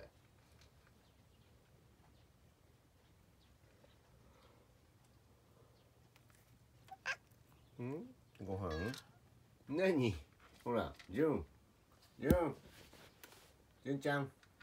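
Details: Jun-chan, a pet cat hiding in a cat tower with only its tail showing, lets out a run of about seven arched, rising-then-falling meows over the last seven seconds after a long quiet stretch indoors.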